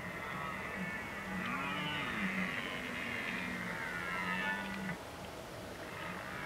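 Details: Red deer during the rut in the Oostvaardersplassen, Netherlands, on 15 October 2011: a long, low, moaning call that rises and falls in an arch, then holds steady for several seconds before breaking off, over a constant background hiss.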